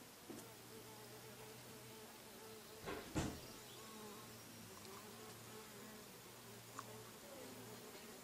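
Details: Bees buzzing in a low, steady hum with stacked overtones that holds through the whole recording, broken by a brief knock or thump near the middle and a faint click later on.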